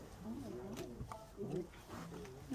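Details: A female white Bengal tiger (Panthera tigris tigris) at a cat sanctuary chuffs, giving soft breathy puffs as a friendly hello, with a woman talking over it.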